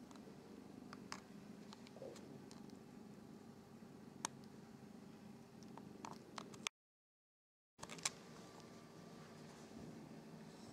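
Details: Norwegian Forest Cat siblings washing one another, giving a constant low purr under soft wet licking clicks; the sound drops out completely for about a second midway before the purring resumes.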